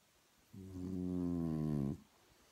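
A French Bulldog lets out one low, rumbling snore that drones steadily for about a second and a half.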